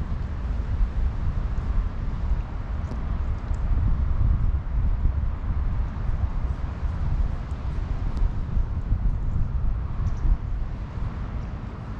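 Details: Steady low rumble of wind buffeting the microphone, possibly with distant vehicle noise, and no animal voice heard.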